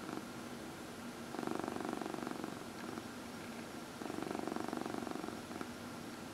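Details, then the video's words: A pet cat purring during a massage indoors, from a four-cat household with rescued senior cats; two long rumbling purr phrases of rapid even pulses, each over a second, with softer breathing-paced gaps between them. "Four Purring Cats — Cat Massage"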